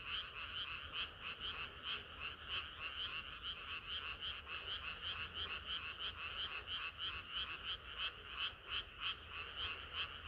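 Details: Hot summer night with a frog chorus, overlapping bright croaks repeating quickly and steadily, about three a second, sustained throughout over soft low background rumble.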